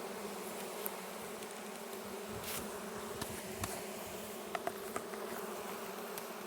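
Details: Russian honey bee colony in a hive on a red stand, heard at the first opening of the hive during an inspection: a steady low droning hum with a deeper and a higher layer, and scattered clicks and knocks from handling frames.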